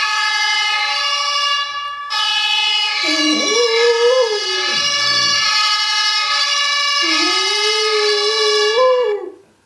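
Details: Sisa the dog howls along with a fire-engine siren sound from a phone, giving two wavering, sliding howls a few seconds apart, partly dipping low between them, while the loud siren wails steadily throughout.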